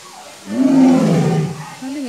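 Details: White tiger roaring at Safari World in Thailand: one deep, harsh, drawn-out bellow lasting about a second, rising then sagging in pitch, with a short rising growl after it amid visitor chatter.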